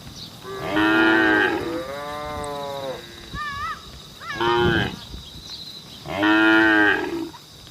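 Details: Herd-calling moos from cattle on a road: three loud, full moos at the start, middle and end, with brief higher wavering calls in between.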